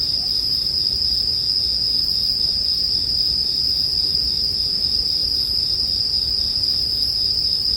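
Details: Sustained, shrill ringing of bell crickets without pause, accompanied by the muted popping and crackle of a bonfire, arranged as soothing sleep music.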